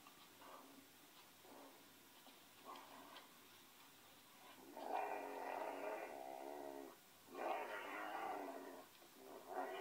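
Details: Pinscher dog named Ole, indoors, giving drawn-out whining, wavering vocalizations in long bursts of about two seconds, with short softer whimpers before them; quiet room background.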